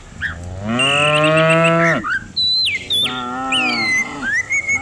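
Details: One long, rising-then-flat moo from a herd of cows coming down a village hill in the morning, followed by a softer low call, while birds twitter and whistle overhead.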